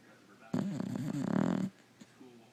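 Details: Female Boxer dog asleep on a couch indoors, one long rough rattling snore of about a second, low and wavering in pitch, then quiet.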